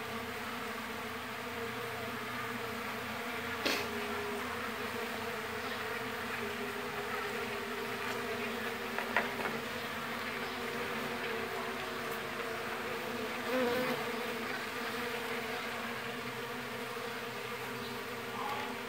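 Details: Mandaçaia stingless bees of a very populous colony buzz continuously as the hive is split; the low, even hum carries on for nineteen seconds, broken by a few sharp clicks and knocks from handling.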